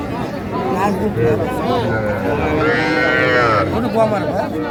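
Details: Young bulls and heifer calves at a cattle market in Faridpur, Bangladesh, on 8 February 2025: a drawn-out, strained moo rises and holds in mid-clip, surrounded by dense crowd chatter and bargaining voices.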